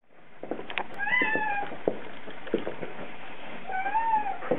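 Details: Spot, a male Bengal cat, crying in the car on his weekend trip downtown; two drawn-out, slightly falling meows with clear harmonics, one early and one near the end, over steady low road rumble and faint clicks.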